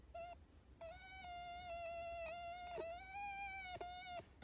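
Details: Pet fox wailing in long, level, tonal cries with rich overtones, broken by brief pauses and slight wavers in pitch, as a person comforts it.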